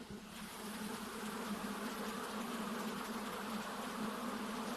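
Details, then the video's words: Honey bees buzzing: a steady, dense drone with a low hum underneath and a hissy wash of many wings, continuous and unbroken throughout. "Honey Bees Sounds | Bees Sounds | Bee Buzzing Sound Effect | Honey bee Sound Effects"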